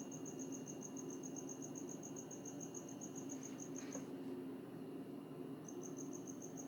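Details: Insect, possibly a cricket, singing at night in Hawaii; a fast high-pitched pulsed trill continues for about four seconds, stops, then resumes after a pause, with a steady low hum beneath.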